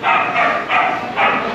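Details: A small dog at a shop in Brazil, met on a hitchhiking trip from São Paulo to Campo Grande, gives three short, sharp yapping barks about half a second apart.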